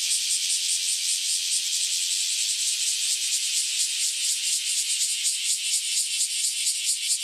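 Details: Newly emerged cicadas, out after roughly a decade living underground, in a full chorus before taking flight: steady shrill buzzing wall of sound, high-pitched, with quick regular pulsations running through it.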